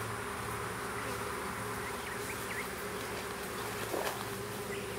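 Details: Small western honey bee swarm during hiving in a south Alabama privet hedge, 12 April 2014: continuous buzzing hum, a few short upward bird chirps and a faint tap near the end.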